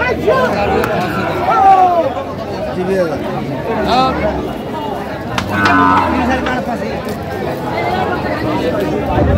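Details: Sahiwal bull calves at a cattle market in Naogaon, Bangladesh, on 24 June 2025, lowing in drawn-out moos with curving tones, heard amid steady crowd chatter and nearby talking voices.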